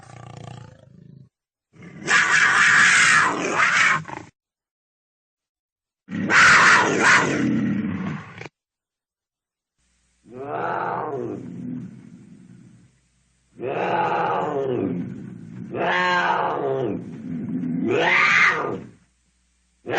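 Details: Cougar calling in rough, noisy bursts of two to three seconds, later turning into shorter harmonic yowls that rise and fall, several in quick succession near the end.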